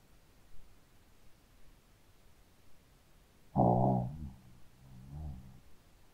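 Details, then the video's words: Shih Tzu dog asleep and snoring loudly: one strong, low, rasping snore after several quiet seconds, followed by a softer, fainter breath about a second later. "Hund schnarcht 🐶 Shih Tzu schläft und schnarcht"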